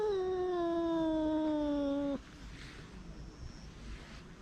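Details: Stray cat grumbling to keep its food from being taken: one steady, low, harmonic-rich moan lasting about two seconds, sliding slightly downward, then cut off into quiet outdoor background hiss.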